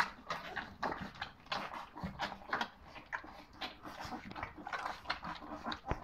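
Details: Puppies aged three weeks, offspring of Charlotte and Keep Cool, let out soft whining squeaks in rapid overlapping bursts, roughly several per second. Muffled snuffling and movement noises run underneath.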